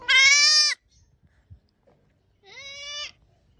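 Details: Goat. Two bleats from a goat, each under a second long, come with a pause between them. The first is loud and nasal, and the second is quieter and starts with a slight upward slide.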